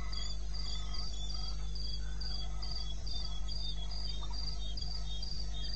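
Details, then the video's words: Shrill, evenly paced cricket chirps in eastern Botswana's wilderness at night, 21 May 2016, 02:30, with faint fainter tones below and a constant low hum. "1 Hour cricket sound"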